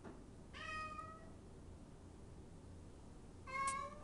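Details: A pet cat crying to have the door opened, giving two separate meows about three seconds apart. The first is longer and level, the second shorter and louder, with faint room hiss between them.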